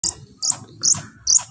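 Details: A pair of baby squirrels gives four short, shrill squeaking chirps about every 0.4 seconds, each a sharp high burst over a faint low murmur.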